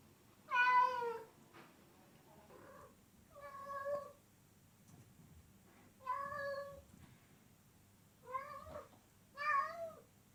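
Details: Cat producing a string of short meows of varying loudness, some wavering and chirp-like, spaced irregularly over ten seconds against faint background hum.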